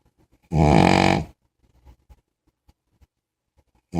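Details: Sleeping big puppy gives one loud, deep, rasping snore lasting under a second, then quiet faint snuffles and clicks before the next snore starts at the end.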